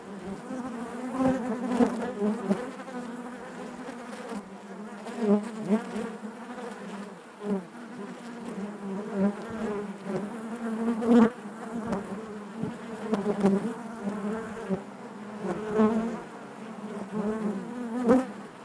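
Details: Many honey bees drone together in their hive, a thick low buzz with layered overtones, punctuated by frequent brief close fly-bys that rise and fall through the steady hum.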